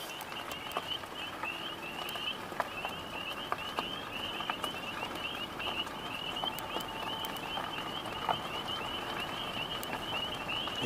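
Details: On 15 April 2023 in spring, a steady chorus of many frogs gives rapid, high-pitched trilled notes that overlap without a break, with faint clicks and light background noise underneath.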